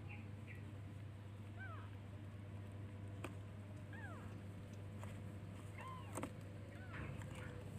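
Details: Baby kittens searching for their mother and calling her, giving four short, faint arched meows spaced over several seconds, against a constant low hum with occasional clicks.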